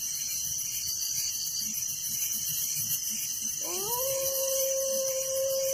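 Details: Night crickets in a village keep up a thick, high-pitched pulsing trill, while a dog's long rising howl breaks in near the end and holds a steady tone.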